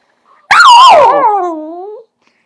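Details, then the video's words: A ten-month-old dachshund gives a single drawn-out howl that wavers, then slides downward and fades. "ten month old dachshund howls"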